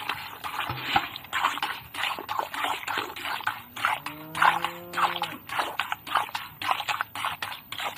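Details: A cow (Bos taurus) gives one low, drawn-out moo over the steady rhythmic squirts of milk into a pail during hand milking.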